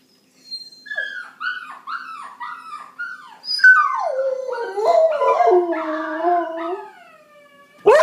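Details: Pet dog howling in response to other dog sounds: a run of short yelping rises and falls, then a longer wavering, falling howl with rich overtones, ending in a sharp upward yelp.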